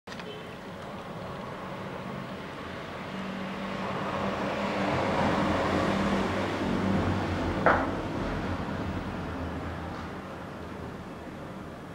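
Steady traffic rumble with a low engine hum and one brief knock near the end; no animal calls can be picked out.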